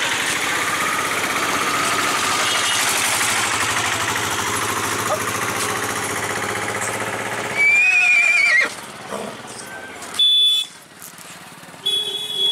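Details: Horse at the Pushkar Mela 2019 livestock fair in Rajasthan, India, near a three-and-a-half-year-old unnamed mare, daughter of the horse Gajraj. Steady engine and crowd roar gives way to a high, wavering whinny near eight seconds, then short sharp squeals.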